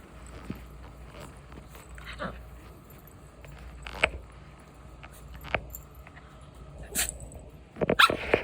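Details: Puppy playing with a little dog, growling and barking at it indoors: scattered short, sharp yips and barks separated by quiet gaps, then a louder cluster of quick barks at the end over a low steady hum.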